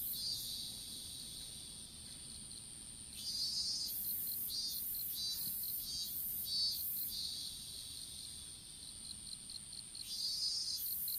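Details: Insects calling in an open-field strawberry patch, caught on a smartphone dropped while seedlings were planted: a steady high whine under pulsing shrill bursts at two high pitches that swell and fade every second or so.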